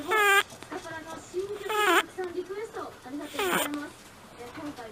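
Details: Simba, an 11-year-old pet rabbit, snores while sleeping with a squeaky 'pii-pii' sound. The clip has three tonal, whistle-like bursts, rising then falling, about every 1.7 seconds, with fainter soft wheezes between them in a quiet room.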